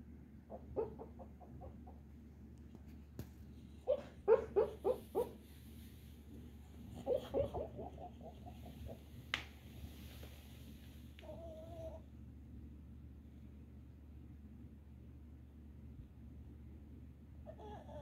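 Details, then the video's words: Red Boston Terrier dreaming, as it often does: muffled yips and whimpers in short bursts of four to six, clustered around the first, fifth and eighth seconds, then a thin sustained whine near the end, with steady low room hum. "Red Boston Terrier dreaming again"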